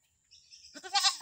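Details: A newly acquired pet Visayan goat bleats: a faint buzzy lead-in builds into a loud, nasal, quavering bleat that is still going when the recording cuts off.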